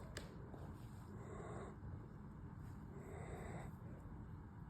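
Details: Exhausted male German Shepherd snoring after two nights in a home daycare: two rough, breathy snores, each lasting about a second, with a low rumble underneath and a quiet indoor hum.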